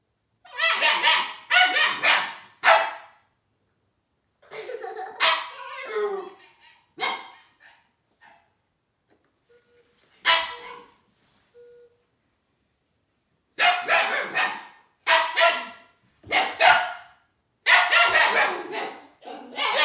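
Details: Husky puppy Juno barking at Dash the toy robot: bursts of short, sharp, high yappy barks in clusters, a quieter middle stretch with a person speaking about driving the robot backwards, then renewed rapid barking.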